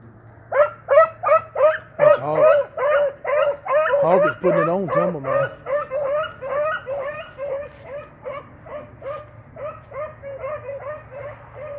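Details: Line-control Blackcreek beagles, an 8-month-old pup running with a trained male, Timber, on rabbit tracks; rapid chorus of ringing barks, roughly two to three a second, with drawn-out wavering bawls mixed in around the middle.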